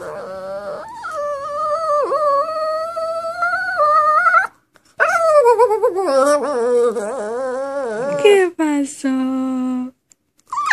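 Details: Dog named Bullet singing in a small room, long steady howled notes held for several seconds, then a wobbling, rising-and-falling stretch that drops to a lower held tone, with brief pauses between phrases.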